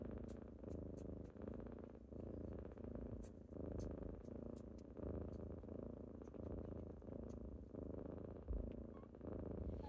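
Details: Kittens waking their owner on a typical morning with loud, continuous purring; deep rumbling purr cycling about every second and a half, with faint clicks overhead.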